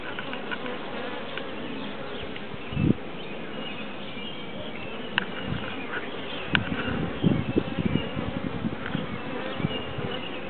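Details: Bees piled together in a tree make a continuous, broad droning hum, with scattered louder buzzes of single bees passing close and brief clicks on top of the steady mass of wingbeats.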